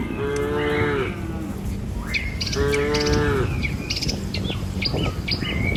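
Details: Tame cattle herded across a river bridge one morning toward a village; two steady, flat moos about two seconds apart, followed by bright bird chirps and squawks over low background noise.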